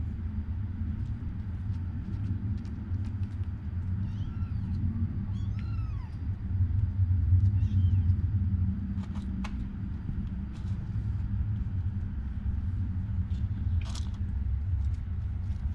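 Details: Kittens of the cat Taeng-on, named Leopard, Samlee, Durian and Daoruang, give a few thin, high meows that rise and fall around the middle of the clip, over a steady low rumble like passing traffic.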